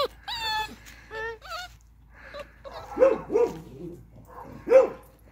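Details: Playful Beagle puppies in an outdoor enclosure give thin, high yelping whines early on, then a few short, sharp barks spaced about a second apart, with quiet gaps between.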